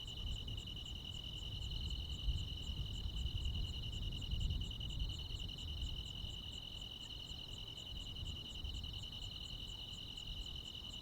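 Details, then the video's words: Rural midsummer night chorus of crickets and insects: continuous shrill ringing with rapid ticking pulses repeating about two or three times a second, over a constant low-frequency rumble. "시골 야간 귀뚜라미, 벌레 소리"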